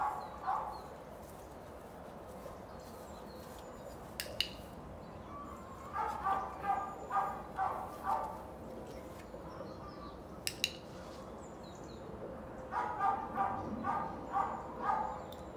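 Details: Border Collie barking during an obedience training session: two runs of rapid, evenly paced barks, each with several barks about half a second apart, plus occasional sharp clicks or knocks.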